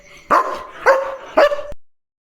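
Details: Leo, a German Shepherd guarding the gate at night: three sharp, clear barks spaced about half a second apart, each trailing off, then sudden silence.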